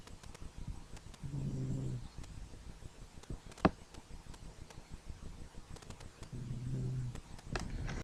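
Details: Sleeping dog snoring: two low, rumbling snore breaths about five seconds apart, each lasting close to a second, with quiet low background hum and a sharp click in between.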